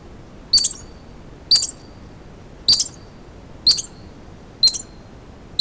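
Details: A terrified squirrel hiding in boulders gives sharp, high alarm chips about once a second while a gray fox tries and fails to dislodge it and hunts nearby.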